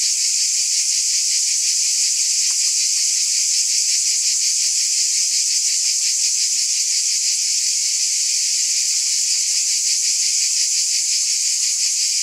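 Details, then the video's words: Many cicadas buzz together in a high, sizzling chorus that pulses softly and steadily, never pausing, with occasional faint clicks underneath. "Scintillating Cicadas"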